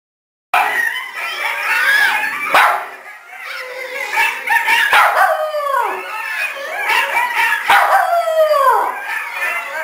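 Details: A three-month-old Australian Cattle Dog (Blue Heeler) puppy, prompted by howling coyotes, howls in thin, wavering notes that slide downward.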